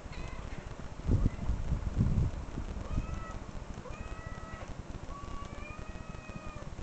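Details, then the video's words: Played-back cat meowing, a handful of long level or gently falling mews in the second half, following louder low thumping and rumbling noise early on. "cat meow"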